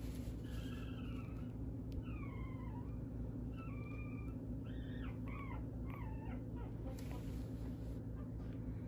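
A small Poodle–Shih Tzu mix gives a run of high, thin whines over a steady low rumble.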